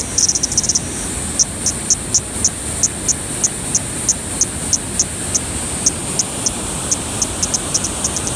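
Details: Kaempfer cicada at Sogi Falls, Kagoshima, Japan, at 12:49 on 13 July 2020: a steady, very high, shrill buzzing drone with faint regular clicks.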